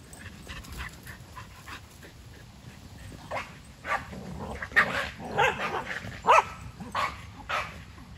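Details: Kumo the Keeshond and Sully the Boston Terrier running around a huge yard, short sharp barks and yips in an irregular burst toward the end, louder clusters around five and six seconds over faint background noise.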